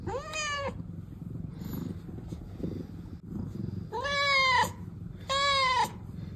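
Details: Rescued domestic cat from the sister pair Pina and Pico meows three times, each call a short arched, nasal wail. There is a long pause after the first and a low rumbling, purr-like background throughout.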